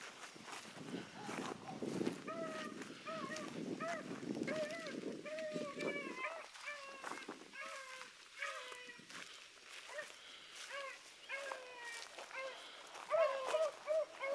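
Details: Pups Sassy and Magnum are in training with Ringo and Boone. Rumbling noise and movement fill the opening seconds, then a pack of overlapping yodelling howls rises and falls in steady bursts until the end.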